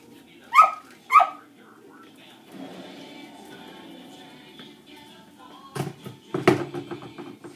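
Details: Two quick sharp dog barks open the recording, heard as distracting barking during a shaping training session with Dixie, a dog reactive to other dogs; then a quiet indoor hum and a few dull knocks.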